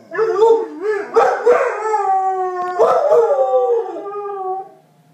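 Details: Two pet dogs howl back and forth as if talking to each other, long wavering tones sliding up and down with rich harmonics, broken by short gaps over about five seconds.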